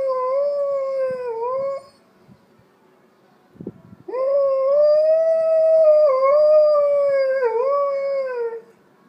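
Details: An Alaskan Malamute named Storm howls in response to church bells. He gives a drawn-out, wavering howl, pauses for about two seconds, then gives a longer, rising and falling howl with slight breaks in pitch.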